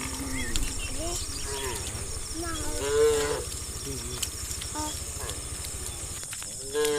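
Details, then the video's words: Tame cows heading to green fields in a herd, with softer scattered moos from several animals, one slightly louder call near three seconds, against constant low rumble and hiss. "A Herd of Tame Cows Heading to the Green Fields - Funny Cow Sounds"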